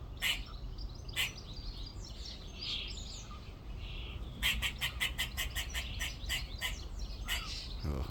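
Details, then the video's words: A back-garden squirrel up in a tree on the second day, calling: a few scattered harsh chucks, then a rapid run of about ten clicking barks over two seconds, tapering off, with soft bird twitters behind. "squirrel making noises"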